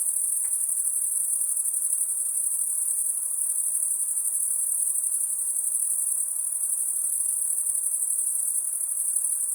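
A steady, very high-pitched insect drone rings without a break through the night.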